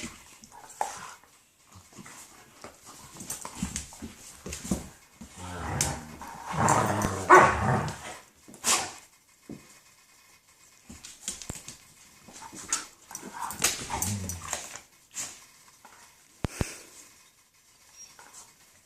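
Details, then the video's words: Several German shepherds at play, trading irregular throaty growls, grunts and whining moans in rapid bursts, interspersed with scuffling and sharp clatters. "Germain shepherds making crazy noises playing"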